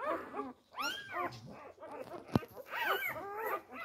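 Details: Newborn Labrador Retriever pups, four days old, jostling for teats: clustered thin whines and squeaks rising and falling, with a sharp click partway through and soft rustling underneath.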